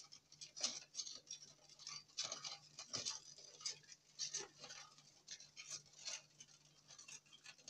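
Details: Longhorn beetles, said to be very noisy at night, giving dry, scratchy high-pitched clicks and rasps in irregular bursts, several per second, with a faint steady low hum underneath.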